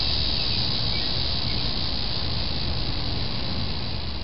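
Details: The first annual cicada call heard in summer 2008, on July 18, drones in a steady, high, hissing buzz with a low rumble underneath.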